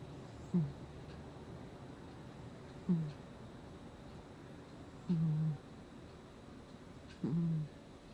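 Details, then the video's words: Gnusmas the cat snoring in his sleep, August 2020: four short, low, droning snorts, each slightly falling in pitch, spaced about two to two and a half seconds apart over a quiet indoor background. "Кот храпит во сне"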